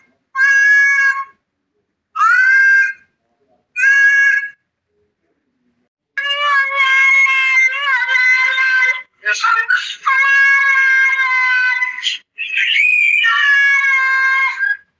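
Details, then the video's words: A domestic cat that seems to call "baba" gives three short, bright meows. Longer, wavering yowls follow, some with a rising-falling bend, running almost without pause toward the end. "Baba diye bağıran Kedi"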